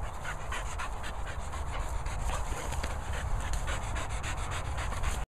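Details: English Bull Terrier and Springadors at play pant rapidly and steadily, a continuous breathy rasp of quick rhythmic breaths throughout, in close, noisy recording.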